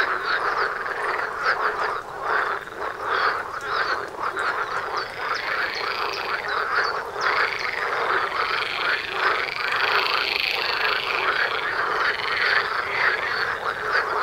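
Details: Frog chorus in front of a house door, many frogs croaking at once in a dense, continuous rattling mass, overlapping pulsed croaks and quick rising chirps layered throughout with no pauses.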